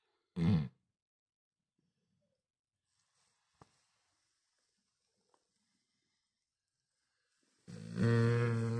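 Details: A Cane Corso asleep and snoring indoors. A short, low, guttural snore comes first. After about seven seconds of near silence with a few faint clicks, a longer, loud, buzzing low snore follows.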